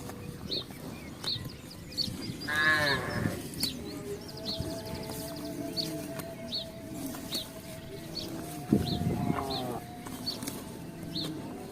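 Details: Cattle herd walking through a residential estate searching for grass and water; two fairly faint moos six seconds apart amid frequent bird chirps and steady background noise.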